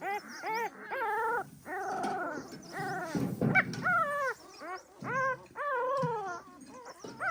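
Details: Pahadi dog mother alert over her puppies: bursts of arched whining yelps and longer wavering cries, with a brief rough noisy burst near the middle and light background hiss.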